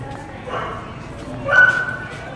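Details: Siberian Husky in a pet store, eager to greet another husky; a brief high whine rising into a short yip, with a person talking nearby.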